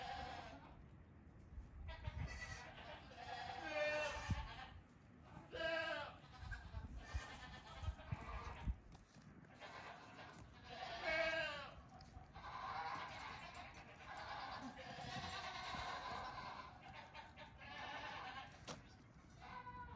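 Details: Baby goats, the eldest almost two weeks old, playing outside their stalls one morning; several short quavering bleats scattered through the recording, mixed with rustling, thumps and busy background noise.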